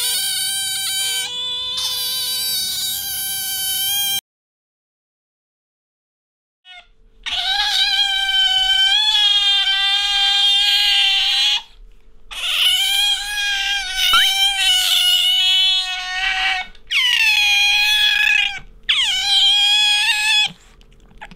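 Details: ['Captive pet otter uttering long, piercing, wavering squeals in bursts of several seconds, after a shorter call and a silent pause, some calls rising and falling at their ends.']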